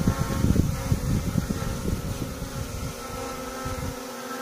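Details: Wild honey bees buzzing during a natural honey harvest in a small farm plot, a dense low drone with steady harmonic hum and rough fluttering pulses in the first three seconds, fading to a smoother tone.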